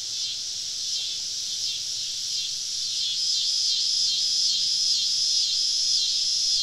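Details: Summer evening cicada chorus surrounding campers deep in southern woods: an unbroken, shimmering high drone with regular pulsations, steady in loudness throughout, with a faint low hum beneath.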